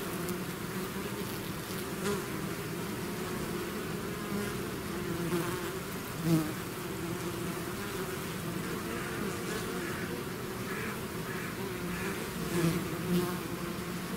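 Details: A swarm of bees out of its hive gives a dense, continuous buzzing hum with low droning tones and brief louder passes of individual bees close by.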